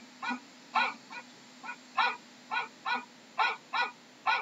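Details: Dog. A dog gives a run of short, sharp barks, each a quick, ringing yap. They come unevenly, roughly one or two every second, with brief quiet gaps between.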